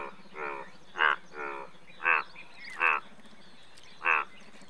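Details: Indian bullfrog, India's largest frog, giving six harsh buzzy croaks at about one-second intervals, some louder than others, over a soft background drone.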